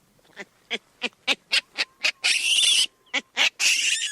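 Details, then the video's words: Olive baboon: a series of short, harsh, barking pulses about four per second, broken by two longer, noisy, hoarse screams. "Olive Baboon Sound Effects"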